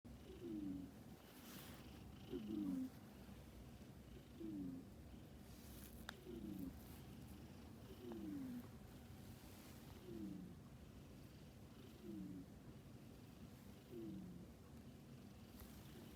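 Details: Male domestic cat snoring: soft, low, raspy breaths that slide downward, repeating steadily about every two seconds, with quiet room hiss behind.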